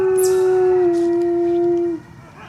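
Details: Coyote giving a single long, steady, low howl lasting about two seconds, sliding slightly lower partway through before cutting off, with faint higher voices and hiss in the background.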